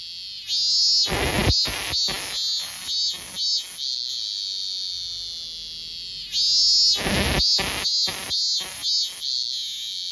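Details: Robust cicada, or minminzemi, in loud close song: a shrill, buzzy drone broken into a run of harsh, pulsing 'min-min' notes, then a quieter steady whine, then a second burst of rapid pulsed notes.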